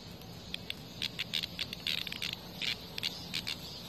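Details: Cicada under attack by a hornet in front of a house, giving short, harsh buzzing bursts at irregular intervals, each a fraction of a second long, over a faint steady background hiss.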